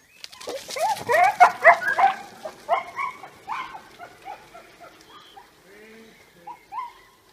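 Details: Border Collies waiting before the start of a dog-trike run; excited high whines and yelps, some rising, come in a dense burst in the first two seconds, then sparser and quieter toward the end.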